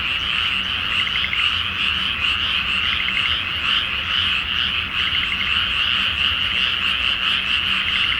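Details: Many frogs calling together at night from a flooded paddy before rice planting under a full moon in Japan: thick overlapping croaks with rapid pulsed trills standing out from a constant chorus.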